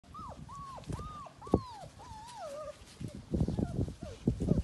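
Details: Laizhou Hong, a red dog breed, from a litter of nine puppies born in Europe; high thin whines that bend up and down, repeated about every half second, then rustling, thumping handling noise and low murmurs.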